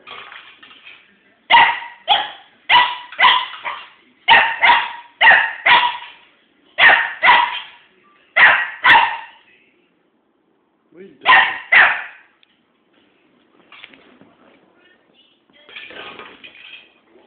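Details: A little one-year-old dog playing with a fake pumpkin barks in sharp, bright bursts, mostly in a quick run of about a dozen barks, then a pause, a pair more, and faint softer sounds near the end.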